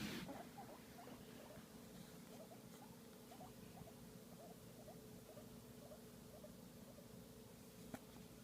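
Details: Guinea pig enjoying a massage, giving soft, quick, repeated squeaky chirps in a steady run of short notes over a faint continuous hum.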